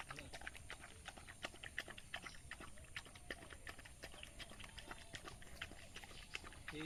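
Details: Chewing and lapping from a village dog feeding on rice: a steady stream of sharp, uneven wet clicks, nearly three a second, with murmured voices and a short fowl call near the end.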